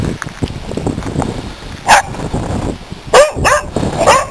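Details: Corgis in a front yard give sharp, spaced alarm barks warning of a snake they have found near a wood pile.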